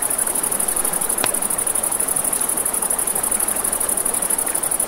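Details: Crickets by a river at night produce a shrill, evenly pulsed trill throughout, with flowing water beneath and one loud campfire pop about a second in.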